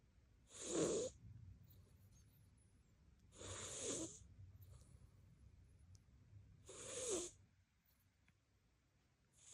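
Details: Pet cat named Koban snoring loudly while asleep: three rasping, breathy snores spaced about three seconds apart, each a broad noisy burst with a low rumbling core, quiet room between breaths.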